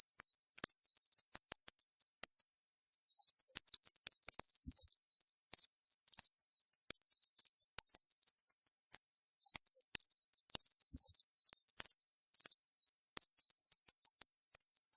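A locust gives a steady, high-pitched hissing buzz that pulses rapidly without pause.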